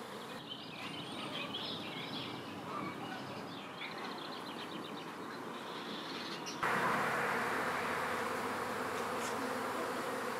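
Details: A honey bee swarm being moved into a new hive: a dense, steady buzzing hum with no breaks, rising abruptly in loudness and brightness about two-thirds through, with faint high chirps in the first half.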